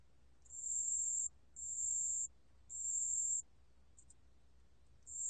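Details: Pale bell cricket song, recorded by the National Institute of Biological Resources in 2020: a high, pure ringing trill held for about a second, repeated in regular bursts with short silent gaps, over a quiet low hum.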